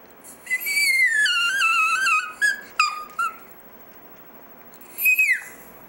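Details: Dexter, a pet Chihuahua, "sings" indoors with a long sliding howl that starts high and falls, followed by short yelping notes and one last high howl dropping steeply in pitch.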